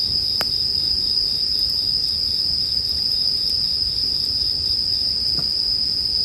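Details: Steady high ringing of bell crickets, mixed with a campfire for sleep listening, fills every moment without pause. A few sharp wood-fire crackles punctuate the drone.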